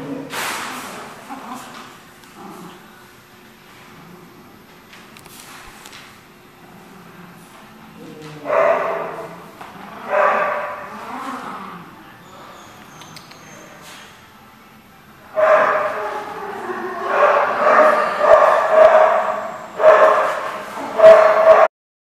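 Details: Dog barking indoors at The Barking Lot, 26 January 2015, in a large room: short harmonic bursts near 8 and 10 seconds, then a denser run of repeated barks from 15 seconds to the end, with faint talk in the quieter opening.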